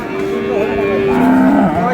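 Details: Lowing of cattle among milk cows and calves for sale at Ambari haat market, 15 April '26. One sustained moo that drops in pitch near its end, over faint market chatter.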